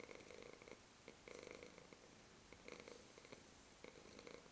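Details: A black male domestic cat, a lap cat, purrs in soft, rhythmic bursts that swell and fade with each breath.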